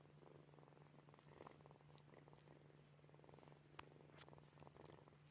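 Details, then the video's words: Kittens purring while asleep, a continuous fine vibrating purr rising and falling with each breath, accompanied by a constant low electrical hum and a few faint clicks. "Sleeping Kittens | Purring, Snoring, Sleep Sounds"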